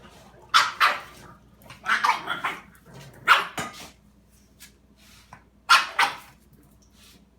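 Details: Dog named Chili in a standoff with a cat called Peeps, giving loud, ragged barks, some doubled and some drawn out, spaced irregularly with quiet stretches between.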